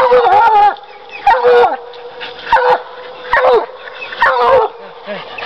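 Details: Bluetick Coonhound treeing: five loud, drawn-out bawling barks roughly every second, each a strained, wavering bay with rough edges, separated by short quiet gaps.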